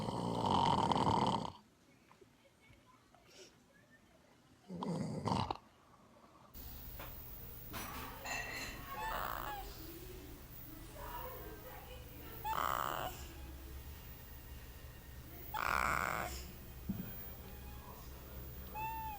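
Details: Sleeping dog snoring, its breathing likened to a tiny, furry chainsaw; loud rasping snores come in separate bursts a few seconds apart, with quieter breathy sounds and a steady low background hum between them.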